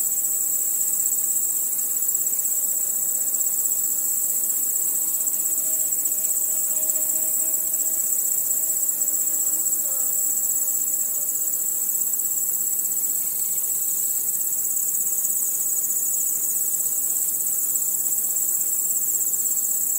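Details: Crickets at night, heard as one continuous high shrill chorus that stays steady throughout, with faint soft tones lower down around the middle of the recording.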